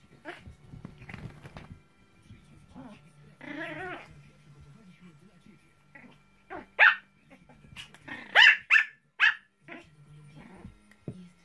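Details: Maltese dog playing tug with a toy indoors: low rumbling growls early on, then a burst of short, sharp high barks in quick succession near the end, with a person speaking softly in between.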